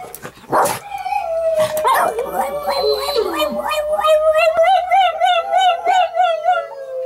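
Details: Pet dog howling along with other dogs' howls played from a screen: drawn-out tonal howl that wavers and rises, with a brief bark-like burst near the start and pulsing, wobbling notes toward the end.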